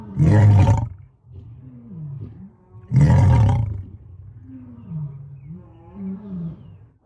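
A lion gives two deep, powerful roars about three seconds apart, each followed by low rumbling grunts.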